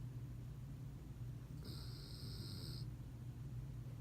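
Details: Colt, a sleeping dog, snores with a low, steady rumbling drone; a brief high electronic tone sounds partway through.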